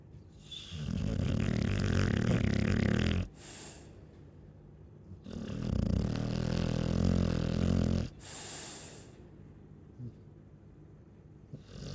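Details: Chow Chow snoring: two long, deep, rumbling snores, each lasting about three seconds, separated by a pause of quiet breathing, with a short rasping sniff between them and a final soft snort.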